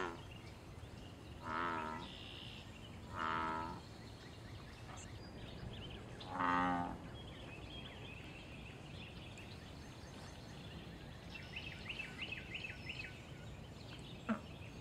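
Deep, resonant bullfrog calls, three separate cow-like notes spaced a couple of seconds apart.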